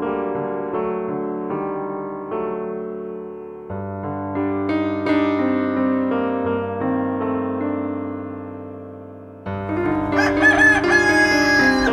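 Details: Piano music plays throughout, building to a brighter, louder passage near the end, with no animal sounds.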